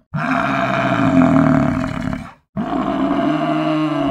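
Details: Buffalo bellowing twice: a hoarse, groaning roar held for about two seconds, then after a short pause a second, similar low, rough call.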